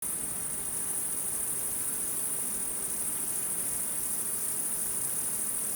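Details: Wild insects singing at night: a dense, steady, very high shrill drone holds unbroken through the clip over a faint low rumble.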